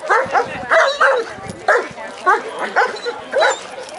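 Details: Working-line German Shepherd named Echo, a citizen K-9, barking during a police K-9 procedure demonstration at the Woofstock doggie fair in Anthem, Las Vegas, Nevada; seven sharp, deep barks in uneven bursts over four seconds, with crowd chatter underneath.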